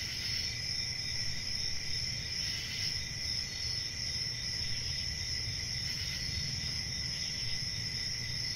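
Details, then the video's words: Crickets chirping in a dense, unbroken chorus: layered high, shrill trilling bands hold steady throughout, with a faint low rumble of background noise underneath. "1 Hour of Cricket Sounds"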